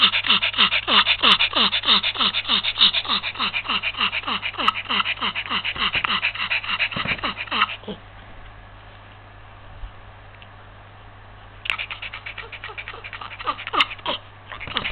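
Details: Yorkshire Terrier with heat stroke, February 2015: quick rasping pants with a soft whining edge for about eight seconds, then a near-silent pause of several seconds before the hurried breathing resumes.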